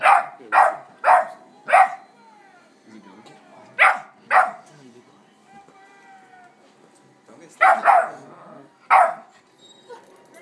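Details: Playing together, a German Shepherd asserting himself as alpha over an Amstaff puppy; sharp barks in bursts, four quick ones, two more, then a final cluster, with soft whines and yips between.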